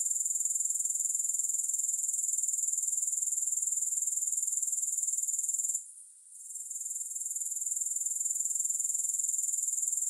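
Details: Grasshoppers making a steady, high-pitched shrill buzz, finely pulsed about four times a second, running almost unbroken; it briefly drops away near the sixth second before swelling back. No music or other sounds.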